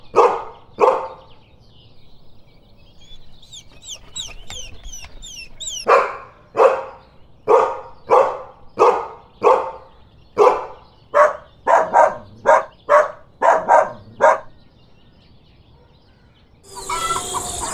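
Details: Dog giving a long run of sharp barks, about one per second at first and then faster and closer together, with a short chirping bird-like series in a pause early on and a noisy burst at the end.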